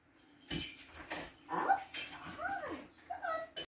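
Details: Nine-week-old Labrador Retriever puppy named Grace giving soft whimpers and yips, short tonal cries that rise and fall in brief arcs, with faint rustling between them.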